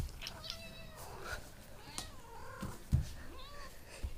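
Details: Domestic cat making odd, drawn-out meows indoors: several wavering, harmonic calls that rise and bend in pitch, one sliding downward near the middle, with soft clicks and faint background noise.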